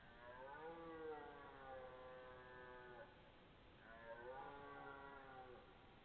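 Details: Belling red deer, September 12, 2014, maybe two animals: two prolonged, groaning bellows with rich harmonics, the first lasting about three seconds, the second starting high and then levelling off, with faint hiss behind.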